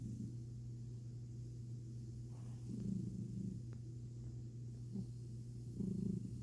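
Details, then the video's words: Milo, a pet cat, enjoying a rare belly rub and purring: a continuous deep hum with short, louder breathy pulses rising at intervals of roughly three seconds. "Tummy Time With A Sappy Cat And Some Snoring"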